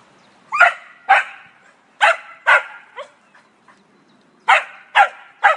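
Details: Cocker Spaniel barking while a squirrel taunts it: sharp, bright barks in pairs and small clusters, with short pauses between bursts and a quiet background.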